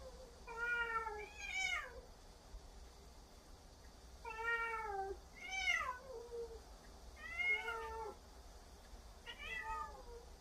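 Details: Huimang the cat delivers a barrage of scolding at Jaetbit, who retorts. Six rapid meows about every one to two seconds, each bending down in pitch, some ending in a sliding squeak, over faint hiss.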